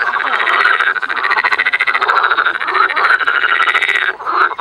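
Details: Frogs in spring at a botanical garden in Cologne, Germany, croaking in a thick, continuous rasping chorus with rapid pulses, easing slightly just after four seconds.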